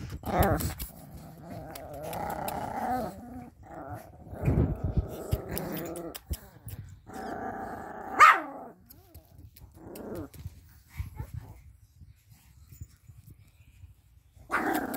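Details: Pomeranian puppies and dogs playing together on a bed, giving rough rasping growls in bursts of one to two seconds with short sharp yaps between, pauses of quiet, and a person saying "stop it".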